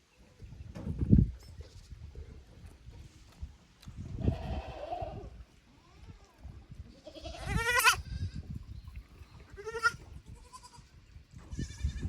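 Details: Kids from the lower pasture of Yoshigake handmade goat farm, Japan, out in a strange upper pasture on 15 May 2024; several shaky bleats, two louder ones in succession near the end, amid low thuds and rustling.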